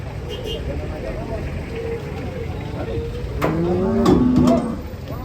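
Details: Cattle being unloaded from a truck, lowing with a deep, drawn-out moo that swells near the end, after softer murmuring moos earlier, over a low rumble of vehicle noise.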